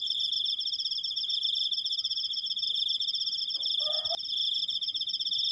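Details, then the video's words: Cricket singing one unbroken piercing trill of fast pulses, interrupted briefly by a short lower chirping sound and a sharp click shortly before the end. "suara jangkrik, krikkkkkk panjang"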